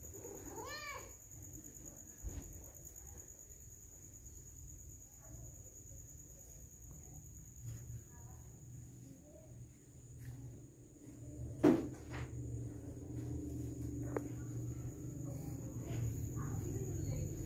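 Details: Pet cat indoors, said to be missing its owner, gives one short arched meow rising then falling, right at the start; afterward a low steady hum fills a quiet room, broken by a sharp knock and faint voices.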